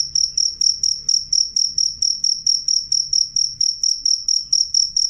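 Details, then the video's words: Loud, clear cricket chirping: sharp high-pitched pulses repeated about three times a second in a steady rhythm, with a faint low hum underneath. "suara jangkrik jernih keras"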